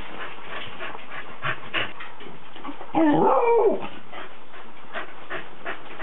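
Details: Cardigan Welsh Corgi recorded on 19 December 2008, giving one drawn-out, rising-then-falling whine of under a second amid steady clicking and shuffling noise.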